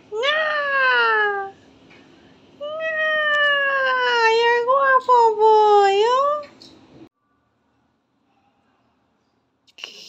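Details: Domestic cat reacting to a foot spa massage: two long, loud, drawn-out meows, the second wavering and rising at its end, followed by near silence and a faint rustle.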